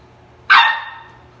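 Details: Angry Samoyed puppy giving a single sharp, high-pitched bark with a brief trailing ring, loud against a quiet background.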